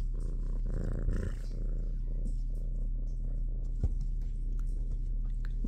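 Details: Low, even purring from Minnow, a shelter kitten held in the big kitty room, with a couple of soft bumps from handling.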